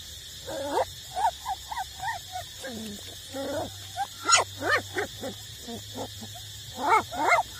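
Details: Eight-week-old street puppies nursing from their mother, giving short whimpers and squeaky yips in irregular bursts, some rising and falling, over a steady low hum.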